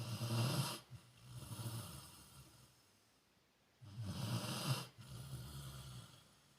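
Heavy, low snoring from a Rottweiler, each inhale a rough rumble with a raspy, airy edge. Two snores come about three seconds apart, separated by near silence.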